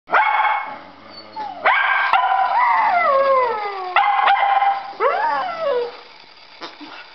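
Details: Two pet dogs at play: one barks wanting the ball while another whines at being held back from playing; high tonal whines sliding downward, broken by sharp barks around two, four and five seconds.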